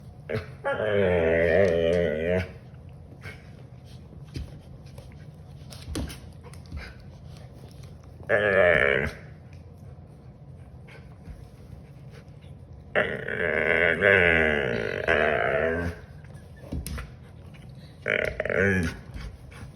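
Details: Siberian Husky making funny noises indoors: long wavering, moaning vocal bursts of one to three seconds, with quieter sounds between them, in a small room.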